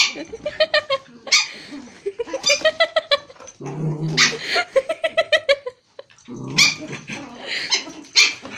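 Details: A Pomeranian and a Japanese Spitz at play in Kathmandu, Nepal. The dogs give rapid series of high, sharp yips and barks mixed with rasping growls, nearly continuous throughout.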